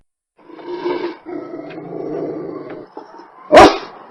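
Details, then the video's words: Low, rough dog growling rumbles on steadily for about three seconds, broken by brief catches, then one loud, sharp bark bursts out. "LADRIDOS Y SONIDOS DEL PERRO - The dog barks and sounds-"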